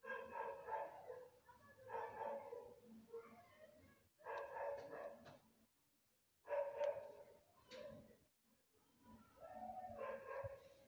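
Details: Stray white cat lost in a street calls again and again, a series of plaintive harmonic meows separated by short silences, a few sharp clicks and faint background noise between them.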